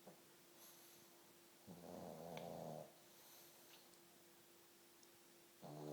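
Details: Pug asleep indoors, snoring: one long raspy, rumbling inhalation of about a second, then a quiet pause and the start of another snore at the end, over a steady low hum.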